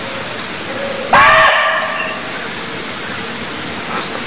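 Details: Cambodian barking deer: one abrupt, rasping bark lasting under half a second, then quiet apart from a high insect buzz and a few thin upward bird whistles.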